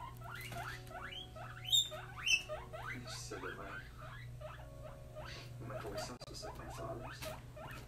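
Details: Pet guinea pig, about three months old, happy in its brand new expanded cage, wheeking: a rapid series of short, shrill squeals, each sweeping upward, repeated nearly twice a second. A steady low hum and soft rustling run underneath.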